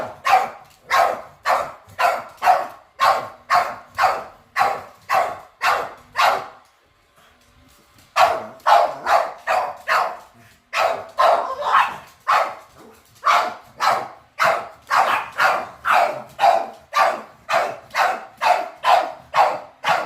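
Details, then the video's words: Dogs barking on first encountering a robot vacuum, a long fast series of sharp barks about two per second with a quiet gap near seven seconds; faint music in the background. "My Dogs FIRST Time Seeing a Robot Vacuum"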